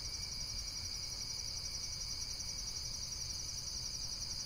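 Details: Brief stretch of insects chirping in rapid, pulsing high trills, a bright continuous buzz over a low rumbling background.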